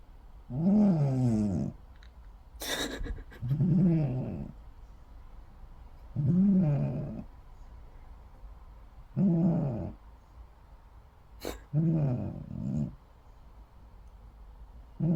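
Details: A sleeping cat snores in low, rumbling, raspy breaths, about one every three seconds. Each breath lasts roughly a second and is separated by a quieter pause. A couple of brief sharp clicks break in between the breaths.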